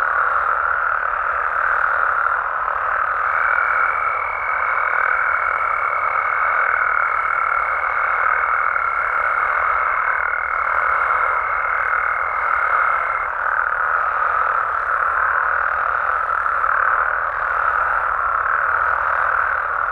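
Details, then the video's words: Dense nocturnal chorus of Mexican frogs and toads, countless overlapping croaks blending into a constant mid-pitched roar. For roughly ten seconds near the start a thin, unwavering high whine rides above them. "Mexican Frogs & Toads Sounds"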